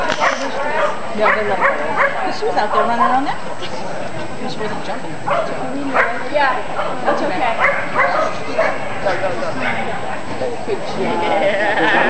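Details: Scottish Terrier at an agility trial on 24 April 2010, giving sharp, harsh barks in irregular bursts, several close together, then pauses, over steady crowd chatter and people talking nearby.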